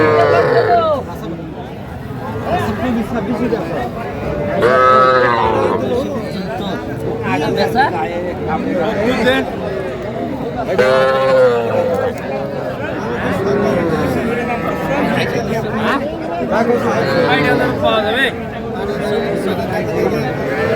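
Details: Cattle at a Faridpur market in Bangladesh, 8 February 2025, where small bulls and heifer calves are bought. Several drawn-out, wavering moos rise over steady crowd chatter and bargaining voices, with calls near the start, middle and end.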